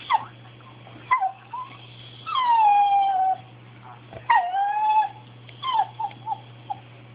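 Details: Pet dog whining for something it wants, progressing from small yips to longer cries: short sharp yelps, then drawn-out falling whines of about a second, repeated with pauses, over a steady low indoor hum.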